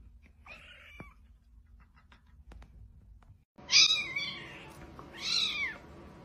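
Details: Domestic cat, part of a funny cat compilation, giving two drawn-out, arching meows in quick succession after a quiet stretch with faint clicks and taps.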